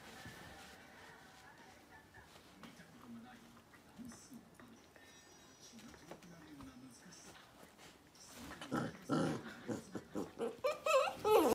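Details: Red three-month-old Akita puppy squealing for help after being pinned during play with an old pair of jeans by an older brindle Akita; a run of short, rising, strained cries repeats about twice a second near the end, after quieter scuffling and low growls.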